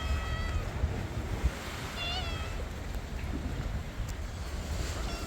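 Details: Homeless, hungry stray cats by the sea waiting for cat food; a short wavering meow rises and falls, with fainter cries around it, over steady surf and wind noise.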